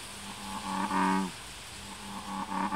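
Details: American bullfrogs in Ibaraki Prefecture, Japan, around Moriya City and Mount Tsukuba: a low, deep, moo-like drone with pulsed harmonics. A few shorter grunts build into one louder call lasting about half a second, followed by further softer calls.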